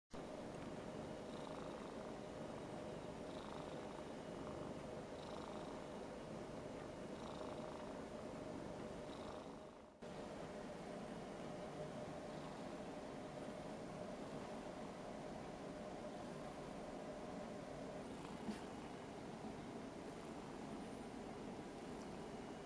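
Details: A 6-year-old Ragdoll cat in an affectionate mood purrs steadily while being stroked by a boy, a low continuous rumble with a brief break partway through.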